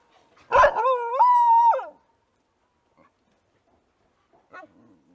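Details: An Australian dingo gives a brief, clear howl that rises sharply, then holds a steady, mournful note.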